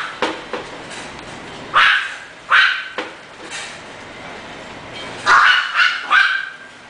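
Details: English Bulldog puppy at a breeder barking sharply at intervals, a pair of barks early, then a rapid run of three barks near the end, over faint background hiss.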